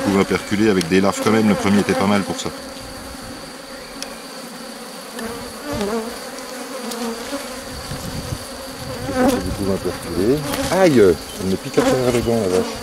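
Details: Honey bees around a hive being rescued from drone-laying, 3 May 2021. Close, wavering buzzes open the recording, give way to a low steady colony hum, then return as fluttering, swooping bursts near the end.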